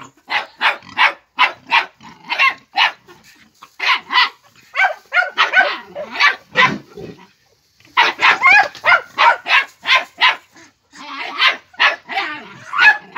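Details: Five-month-old Jagdterrier barking while focused on a wild boar: rapid, sharp, high barks in bursts, roughly three per second with brief pauses, and a man shouting encouragement in Hungarian.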